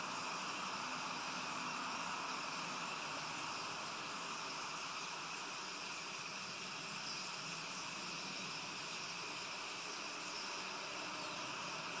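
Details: A steady, even hiss of broadband noise with a faint constant hum runs throughout, and no distinct animal calls stand out.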